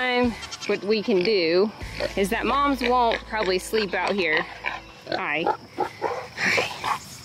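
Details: Baby goats screaming on weaning day at a homestead farm: loud, quavering bleats with a wobbling pitch, several in quick runs, overlapping a person talking.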